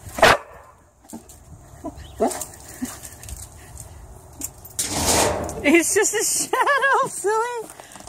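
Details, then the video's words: A playful Boxer puppy named Cody reacts to a shadow. A single bark opens the sequence. After a stretch of human talk come arched, wavering whine-like yelps repeated several times. "Cody barking at shadow"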